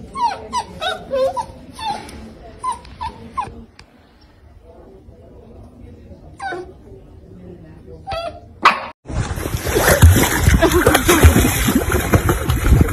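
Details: Puppies whimpering and yipping in quick, high, rising squeaks for the first few seconds, then quieter sounds, followed by loud music that takes over near the end.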